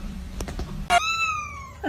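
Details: Domestic cat indoors giving a long, clear meow that starts high and slides gently downward over about a second, preceded by a few faint taps and followed by the start of another call.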